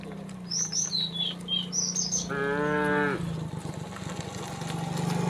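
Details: Tame cows in a herd heading to green grazing fields in the morning; one moo lasting under a second, with high chirping birdsong before it and a steady low hum throughout.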